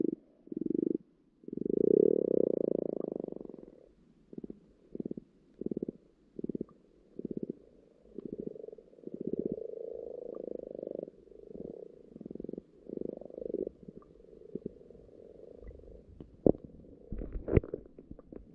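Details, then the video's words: Frogs croak underwater in a pond where lots of frog spawn is appearing, making low, purring grunts in quick, uneven bursts. "🐸Frogs Croaking in the Pond, Underwater with the Frogs, Sound up!"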